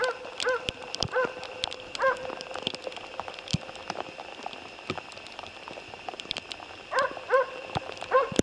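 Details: Jämthund barking during a moose hunt: clipped barks spaced out in twos and threes, with a long gap mid-clip, over constant crackling, ticking background noise.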